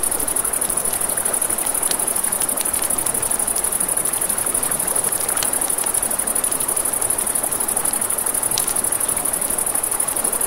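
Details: High, even cricket trilling fills a night scene by a river, joined by the steady rush of water and frequent crisp crackles and pops from a campfire.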